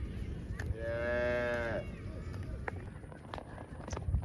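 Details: Farm cows out in the fields, running and jumping: one drawn-out moo lasting about a second, rich in stacked harmonics, steady then trailing off slightly, over low rustling field noise and scattered clicks.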